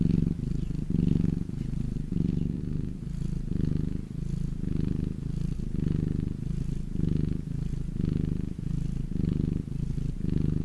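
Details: House cat basking in the sun and purring: a throaty low vibration pulsing with its breathing, slightly uneven in strength, steady throughout with no other noises.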